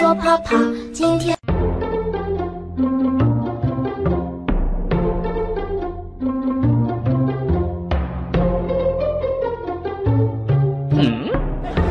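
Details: Plucked and bowed string music plays throughout with no animal voice audible.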